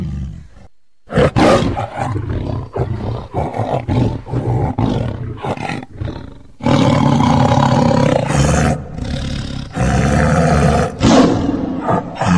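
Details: Tiger growling and roaring: choppy, uneven growls in quick succession, then a long continuous rumbling roar with deep low tones in the second half.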